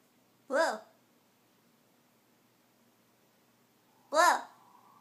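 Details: Blu, a male blue Scottish Fold cat living in New York City, born March 2012, is teased indoors to keep him from falling asleep; two short arched meows, about three and a half seconds apart, break a quiet room.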